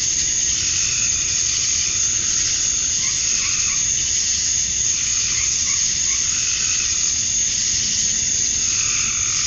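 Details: Cicadas at dusk on a summer night in Georgia, USA, males calling for females: a steady shrill high drone over which softer mid-pitched rasping calls from other night callers rise and fade repeatedly.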